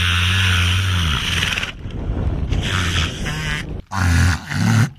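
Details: Luna, a wild killer whale that seeks human company, imitating a boat engine heard underwater as a greeting: low, droning harmonic tones that waver and break off into short gaps, then resume in two brief rumbling bursts.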